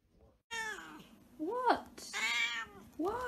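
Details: Havana Brown cat indoors giving loud harmonic meows: a drawn-out call, then a short arched mew, a long rising-falling meow and another arched mew over about three seconds, with faint background hum.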